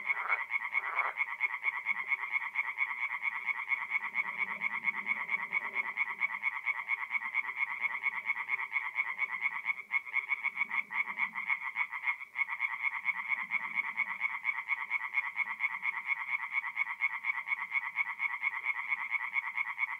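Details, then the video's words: At a forest pond in north-east Italy on a mid-April night, singing tree frogs keep up a continuous, evenly pulsed rattle of croaks. The chorus dips briefly twice and resumes at once, with soft low background sounds. "relaxing forest pond by night with singing tree frogs"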